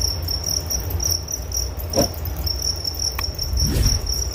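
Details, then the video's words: Shrill pulsed cricket trill, briefly faltering in places, interrupted by a couple of soft thuds and a sharp click, over low rumbling background noise. "Relaksasi Suara Jangkrik Penghantar tidur || Nature Sound of Crickets"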